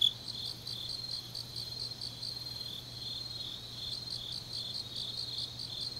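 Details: Fainter grass insect song on a deep autumn night in Changnyeong, Korea: quiet high pulsed chirps repeat steadily against a low constant hum.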